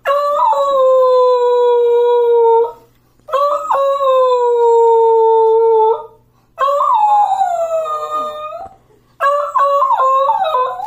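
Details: Beagle howling: four long, steady, mournful howls, each lasting about two to three seconds with short breaths between, the third bending downward and the last breaking into wavering yodels.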